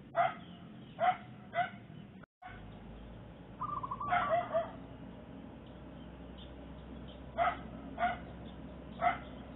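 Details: A mother dog with puppies barks during zebra dove trapping in the Makassar Industrial Area. Three sharp barks about half a second apart open, then soft dove cooing, then three more spaced barks near the end over low background hum.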